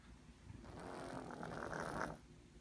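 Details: Holly, a pet cat with bad sinus issues, snoring loudly while sleeping comfortably; one long, rough, breathy rasp lasting about a second and a half, then quiet.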